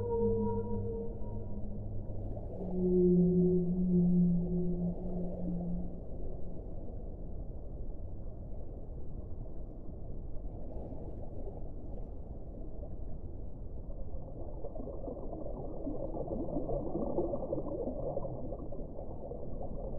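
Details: Whale song: a run of low tonal moans, some steady and some sliding, fills the first six seconds, then gives way to a dense, muffled underwater rumble with a soft wash of mid-pitched noise near the end.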